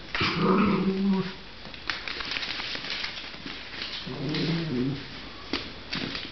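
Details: Miniature Pinscher puppies, six weeks old, from one litter indoors; low whining, growly vocalisations in the first second and again around four to five seconds, with rustling and knocks in a small room.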